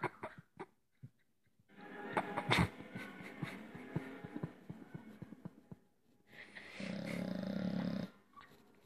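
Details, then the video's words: A sleeping, dreaming Staffordshire Bull Terrier indoors, snoring with rough, growly breaths in irregular bursts, a longer rasping snore near the end. "Perro roncando y soñando"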